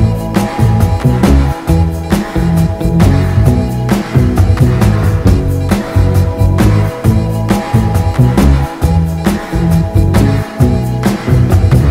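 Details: Loud soul-funk music with steady drums, bass and sung vocals fills the whole stretch, with no animal sound.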